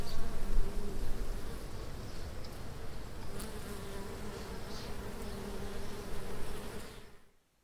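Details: Swarm of bees around a scooter rider, with a beehive under the seat: dense low droning hum, steady and continuous, swelling slightly at the start, with faint higher buzzing passes, ending abruptly.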